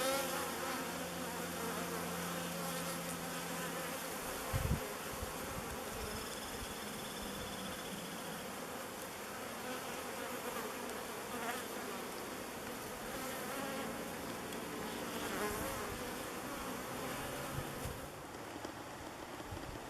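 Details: Swarm of thousands of honey bees swirling in flight and waggle dancing while choosing a log hive as their new home, settling on the hive face; a dense, steady, broad buzzing hum throughout with a brief low thump.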